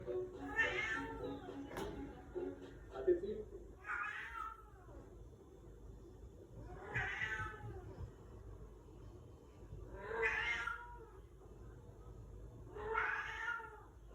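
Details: Domestic cat at the front door meowing to call family members who have gone out to study, as it does every day; five drawn-out, wavering meows spaced a few seconds apart, with a woman's voice and a sharp knock early on.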